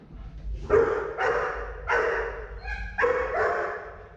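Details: German Shepherd named Tuna, an aggression case in training, giving four loud, harsh barks spaced roughly every three quarters of a second over a low background hum.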